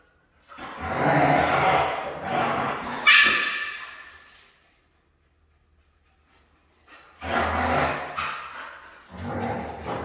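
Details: A hard-to-train Siberian husky lets out a sustained, harsh, grumbling vocal bout lasting several seconds with a sharper peak near the end. After a silent pause, two shorter bursts follow.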